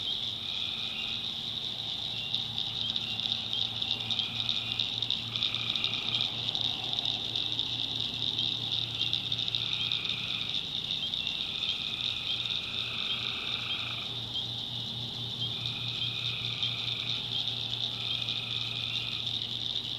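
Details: Tree frogs calling at night in the swamp backwoods of North Carolina: overlapping drawn-out tonal trills, each about a second long, rise over a dense, steady, high-pitched chorus, with a low constant hum beneath.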